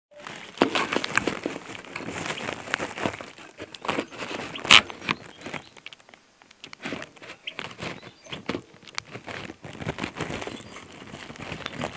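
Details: Dry crinkling, rustling and scattered taps in a small indoor space, with no clear animal calls.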